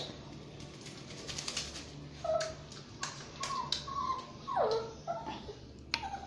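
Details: Basuki, a Shih Tzu and Yorkshire Terrier mix dog, whines while being bathed. A few short, high tonal whimpers come out, one sliding steeply downward, scattered among sharp taps and clicks in a small indoor room.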